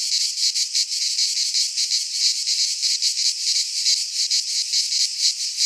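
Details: Cicadas of the Greek fauna in a midsummer pine forest: strident high buzzing that swells and dips in rapid rhythmic beats, unbroken for the whole stretch.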